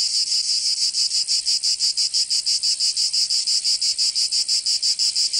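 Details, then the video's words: Summer cicada chorus in Provence, in the south of France, a shrill rasping buzz throbbing in regular beats roughly three per second throughout, with nothing else audible. "Canto Cigarra 🦗 [ Escuchar les cigarras en verano 10 H]"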